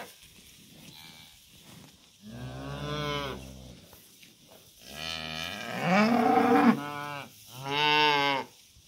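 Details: Cows and calves heading out to green summer pasture: three deep, harmonic moos, the first steady, the second long and swelling, the third shorter and loud, with quiet gaps between.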